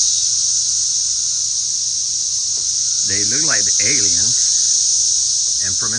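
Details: Crowds of cicadas around a house and garden, likened to a flying saucer: a constant high, hissing drone runs under a man's voice speaking in the middle.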